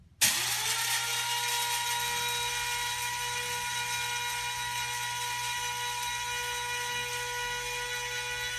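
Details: A steady mechanical whine with even, sustained tones starts abruptly and continues unchanged to the end, with no animal voice audible.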